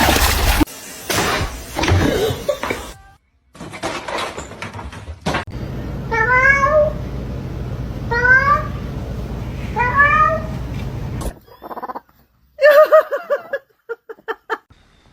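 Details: Domestic cat giving short, high, upward-sweeping mews, three of them spaced about two seconds apart, over a low steady hum. Indoor rustling and a person talking come before and after.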